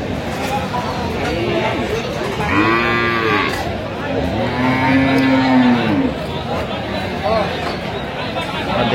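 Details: Sahiwal cows with calves at Aftabganj cattle market, Dinajpur, Bangladesh, 14 October 2025; two drawn-out, arching moos follow each other, the second longer and louder, amid bargaining voices and market crowd noise.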